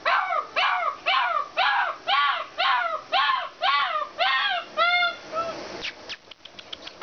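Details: Alaskan Malamute at a kennel yelping in a steady series of arched, rising-then-falling cries about twice a second, ending with a few sharp clicks and knocks.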